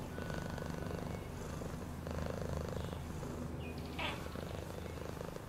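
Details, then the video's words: A cat purrs in a steady, low pulsing drone, rising slightly in strength midway, with a short high rising chirp heard near the fourth second. "Cat purring sound"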